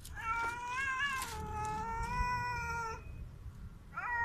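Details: Loud drawn-out meow from a hungry street cat, sustained for nearly three seconds with a slight rise then steady pitch, followed by a short second cry at the end over low background rumble.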